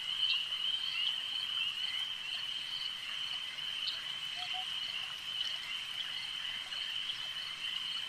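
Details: Frogs at a lake keep up a constant high trilling chorus with occasional sharp clicks layered on top and one brief low double note midway.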